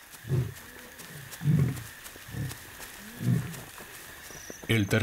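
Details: A lion in Kenya's Masai Mara reserve gives deep, rumbling grunts about once a second at night, a roar heard many kilometres away that warns outsiders off its territory.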